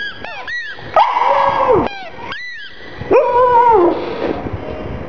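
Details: Black pug Gong Fu, a mascot, cries over its little ball: two drawn-out wavering whines, each about a second long, held level then dropping at the end, with quick high chirping squeaks before and between them.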